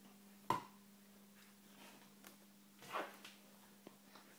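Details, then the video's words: Hudson, an Alaskan Malamute, hiccuping indoors: two short, soft, broadband hic sounds about two and a half seconds apart, with a faint tick between and a steady low hum in the room. "Hudson the Alaskan Malamute has Hiccups!"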